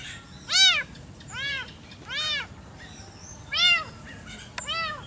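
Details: Village cats squabbling over territory in a garden one morning: brief, arched, nasal yowls come in uneven bursts about a second apart, with faint background hiss.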